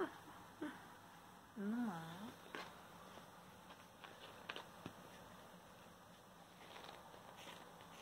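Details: Kitten named Ammu playing indoors, licking a bag, gives one wavering, warbling meow that dips and rises twice, then falls quiet amid soft taps and rustles in a small room.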